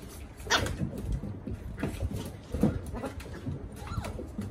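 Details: Puppy playing on a deck, giving a few short, high whimpering yips amid soft thumps and scuffling, with quieter whines scattered through the few seconds.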